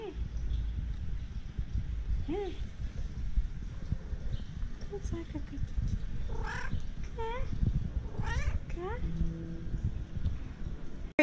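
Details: Cat meows come in short bursts, a few quick whiny calls close together midway, over constant low background noise and human speech.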